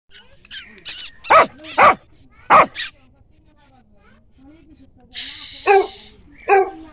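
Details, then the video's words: Village puppy giving a few short, sharp barks and yaps in quick bursts around the middle, then more yelps near the end, with faint background noise between calls. "Dog sounds"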